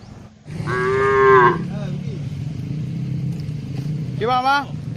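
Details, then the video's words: Tame cattle herded on a wide green pasture, calling back and forth to one another while grazing; a long harmonic moo swells then fades, followed by a shorter, higher rising moo near the end, over a low steady rumble. "suara sapu lembu moo"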